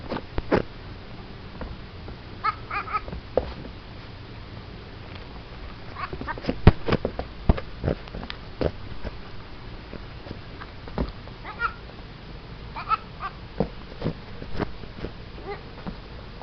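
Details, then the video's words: Young goat producing odd, duck-like noises in a small room: short harmonic squawks in several brief bursts, separated by sharp clicks and thumps. "Crazy baby goat making funny noises"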